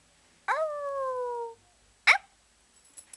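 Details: A 5-month-old male Cocker Spaniel puppy, excited while playing with his owner, gives a drawn-out, slightly falling whine, then a short sharp yip.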